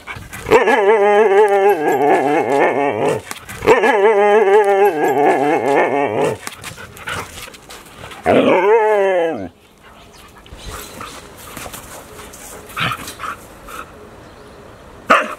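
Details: A sulking pet dog talking back: long drawn-out whining grumbles, two sustained wavering moans of about three seconds each, then a shorter rising-falling whine, followed by quieter rustling and faint background sounds.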